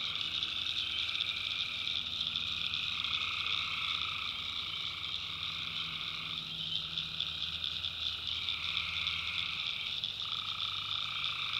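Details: Nighttime tree frog chorus from the North Carolina backwoods: continuous high shrill trilling from many frogs, lower calls alternating in bursts, and a soft low drone beneath.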